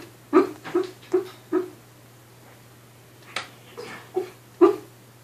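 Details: Dog barking while dreaming, recorded in 2015: soft, muffled woofs, four in quick succession, a short pause, then four more scattered ones, over a steady low electrical hum in a quiet indoor space.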